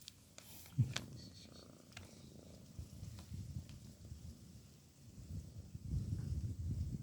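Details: A sleeping female cat snoring after a day of work, soft low rumbling breaths that swell and fade, louder toward the end, with faint clicks and rustles.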